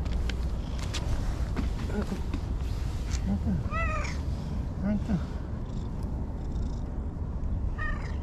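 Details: Stray orange-and-white cat Anko, seeking affection by a lake at dusk in Japan, gives two bright meows several seconds apart, with rustling and a constant low outdoor hum underneath.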